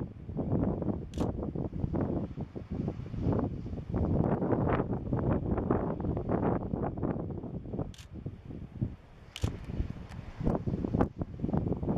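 Only wind buffeting the microphone and rustling, with a few brief clicks and no animal voice.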